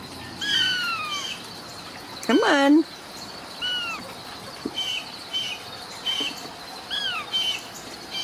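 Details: Several Ragdoll kittens in a central Kansas home cattery, not kept in cages, repeat short, high mews that slide downward, about one a second, with a brief spoken word from a woman partway through.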